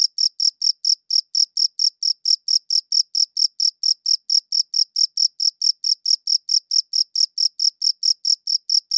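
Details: Steady chirping of a cricket captured on a quality audio recorder, high-pitched pulses repeated about four times a second in an even rhythm, nothing else audible.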